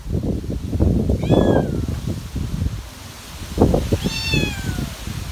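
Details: Cat on a windy late afternoon giving two drawn-out meows, the first rising then falling, the second longer and sliding downward, over steady rustling and wind-buffeted thumps.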